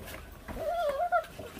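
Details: One of five 28-day-old feral puppy siblings, eating raw meat down to the bone, gives a thin, wavering whine that rises and dips for about half a second, then breaks into a short higher squeak, over soft room noise.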